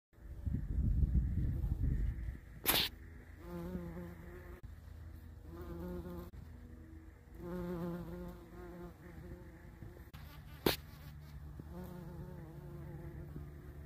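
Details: A big bee among plants outdoors: a low, steady droning buzz that comes and goes in bursts of a second or two, with a fainter higher hum underneath and two sharp clicks.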